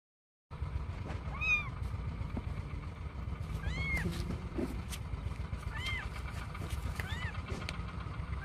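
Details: Domestic kittens, one of a litter of six aged 33 days, outdoors for the first time playing on a lawn; several thin, high rising-falling meows spaced a second or two apart over steady low background rumble.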